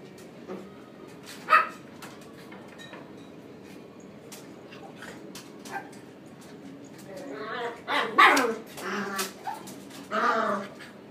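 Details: A female calico Munchkin cat, born 24 July 2016, gives a quick run of short, tonal meows after a few quiet clicks. Finding: Munchkin cat.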